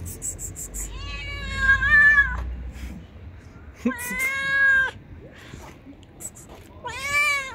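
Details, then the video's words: Loud, sassy stray cat on the street meows three times, long, strained and wavering, roughly every three seconds, with low rumble and scattered clicks in the background. "This Is the Loudest, Cutest, Cheekiest Cat I've Ever Met on the Street"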